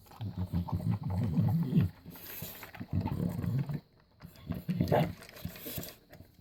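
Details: Six-year-old bulldog eating dry kibble, giving heavy low chewing and crunching in rapid irregular bursts, separated by short near-silent gaps and a sharper click near the end.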